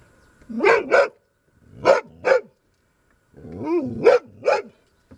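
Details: Dog barking at a marten hiding nearby that it wants gone: six loud, sharp barks delivered in three quick pairs, with short pauses between the pairs and otherwise quiet surroundings.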